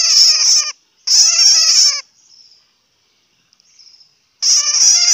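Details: A bat shrieks in three bursts of shrill, quavering, buzzy notes, the first two close together, then a long near-silent pause with a faint thin whine before the last outburst. Hmong name: suab puav quaj.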